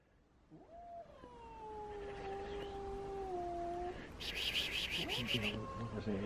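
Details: Domestic cats meeting indoors: small, timid two-year-old Elma, weighing 3.5 kg, and Kutvonen, the biggest cat in town. One long, wavering, slightly falling yowl lasts about three seconds, then a short harsh hissing burst and a brief rising cry.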